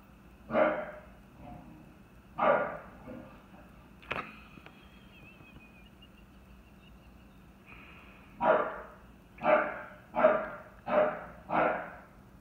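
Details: A chocolate tri merle English Bulldog named Merle goes crazy barking at a bucket the dogs knocked over. A few spaced barks come first, then a quick run of five loud, hoarse barks roughly every second near the end.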